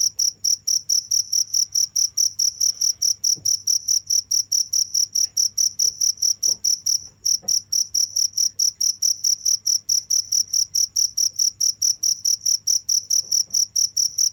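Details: Steady high cricket chirps in a regular train of about four pulses a second, with one short pause partway through, then the same even pulsing carries on above a faint low drone.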